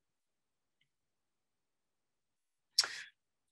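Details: Near silence broken by one short, breathy sneeze-like burst.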